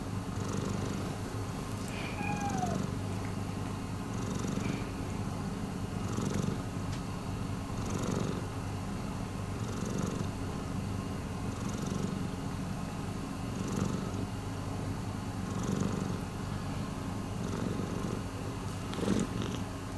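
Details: Continuous low purring from Miiko, a rescued house cat, pulsing gently with the breathing cycle about every two seconds; a brief thin whistled chirp appears early on, otherwise a quiet indoor background.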